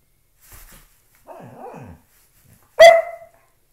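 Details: Loki, a dog at play with a shoe indoors, makes low, rolling grumbles with dipping pitch, then a single sharp, loud bark that fades quickly; otherwise silent.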